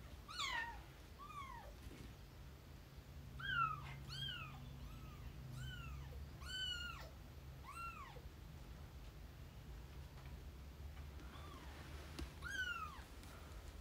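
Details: Rescued kitten Lara and older house cat Hime, first meeting indoors and showing close interest in each other. Thin, high, rising-then-falling meows repeat in quick bursts, some in rapid runs, with pauses between, over a faint low room hum.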